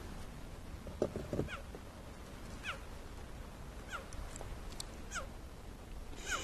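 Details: At sunset on Rietspruit Game Reserve in South Africa's Lowveld, a lone, worked-up, well-fed male cheetah on the southern fence line gives high, bird-like chirps, each dropping in pitch, repeated every second or so over a low rumble, calling for his separated brother.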